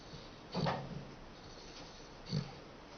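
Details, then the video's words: Dachshund asleep, giving two deep grunting snore snorts about two seconds apart, each low and nasal with a brief breathy tail, in a quiet indoor room. "Такса храпит"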